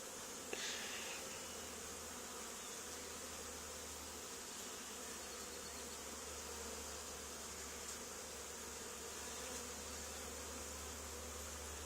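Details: Honey bee swarm settled on the wall of an old barn, two days after another hive was cut out from it, during a swarm removal: a steady, dense droning buzz with a low hum running unbroken throughout, and a brief knock near the start.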